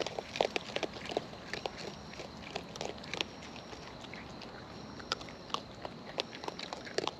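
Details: Raccoons in the wild eating up close, with their natural chewing heard as rapid, uneven crunching and smacking clicks throughout, several louder bites near the beginning and end, and low steady background noise.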